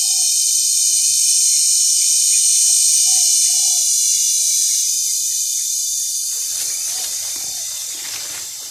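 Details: Cicada, known locally as kundidit, producing a strong steady high-pitched buzzing drone that holds for most of the stretch before gradually fading, over a quiet background with faint low murmurs.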